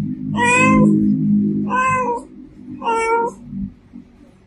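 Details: Female domestic cat giving three drawn-out, evenly spaced harmonic meows, each about half a second long, over a steady low hum.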